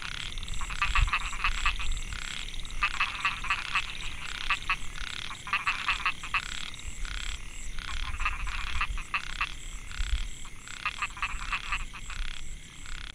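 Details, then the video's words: Narrow-mouthed frogs (Microhyla pulchra) calling in Mae Hia rice field, Chiang Mai, Thailand, 2014; males' call draws females. Dense chorus of rapid rasping pulse trains in repeated bursts about every second, over a steady low rumble. "Amphibian acoustic I Narrow mouthed Frog - Microhyla pulchra"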